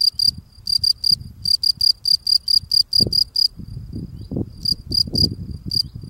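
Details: Field cricket cleaning the steps at its burrow entrance while singing: bursts of clear, high, ringing chirps in quick runs with short pauses, over low scraping and rustling from the cleaning, which grows busier midway.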